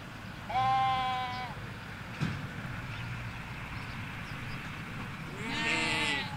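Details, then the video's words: Ewes and lambs in the Hampshire countryside: a clear bleat near the start, a brief knock, then a rougher bleat at the end, over low road noise. "Sheep Field - One Hour Sound and Video"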